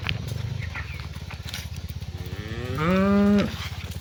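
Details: Cows calling their friends as the herd is driven home to the barn in the afternoon; a short rising moo of about half a second with rich harmonics, over a steady fast low pulsing engine-like throb.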